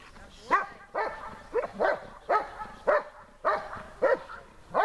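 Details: German Shepherd named Besser barking at the helper during protection training under harder conditions: loud, deep, harsh barks in a steady series, about nine in five seconds, with faint background noise.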